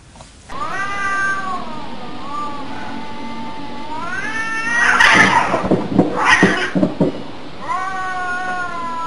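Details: Cat producing a series of long, sustained meows that rise and fall gently, interrupted midway by loud bursts of rattling noise, with a last drawn-out meow at the end over steady background hiss.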